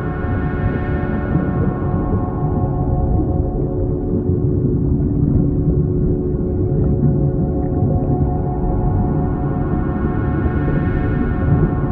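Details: A steady, droning ambient music bed with gong-like tones; no animal voice stands out.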